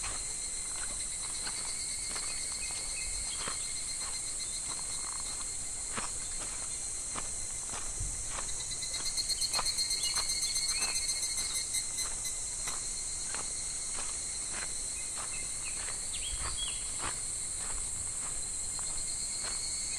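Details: Midsummer cicadas at a shallow, calm clear stream filmed in July: an unbroken high-pitched droning hum that pulses briefly near the middle, with trickling water and light tapping sounds underneath.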